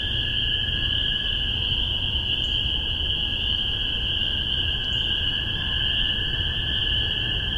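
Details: Dense spring peeper chorus, Massachusetts, spring 2015, recorded with spaced omni microphones: continuous high shrill peeping, only two distinct rising peeps emerging, over a lower steady drone and low background rumble.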